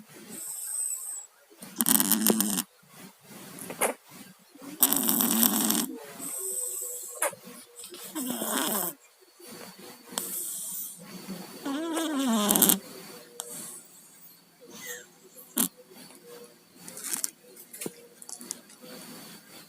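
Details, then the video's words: Tayen or Lilu, a house cat down with a cold, snores while asleep: rough, wheezy breathing pulses, some with a faint nasal whistle, rising and falling irregularly for about twenty seconds against a quiet room. "KUCING PILEK, TIDURNYA NGOROK"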